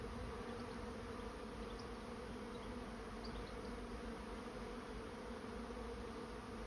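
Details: Swarming honey bees entering a trap make a continuous droning buzz, even and unbroken, with faint high chirps scattered early on.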